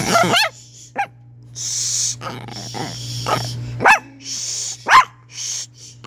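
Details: Chihuahua making odd noises: sharp, high rising-and-falling yips, the first quick and stuttering, with breathy hissing bursts between calls over a steady low hum.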